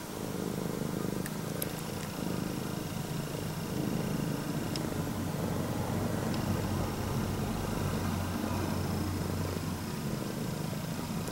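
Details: Female straight-eared Scottish Fold cat, red tabby and white, purring loudly like an engine while greeting her owner indoors; a steady, low rumbling purr runs throughout with a few faint clicks.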